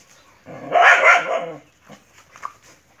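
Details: Dog fighting a monitor lizard, giving one loud harsh bark-growl lasting about a second, followed by faint scuffling and a few small yelps.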